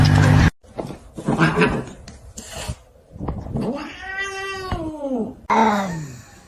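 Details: Domestic cat giving a drawn-out, arching meow that rises and then falls over about two seconds. Scattered thumps and rustling come from quick cuts before it, and a second, shorter meow starts at the end.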